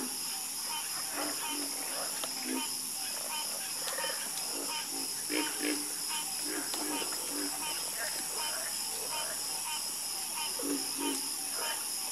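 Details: Croaking frogs in chorus, irregular short low notes and rapid clicky bursts overlapping one another, with a steady high insect whine in the background.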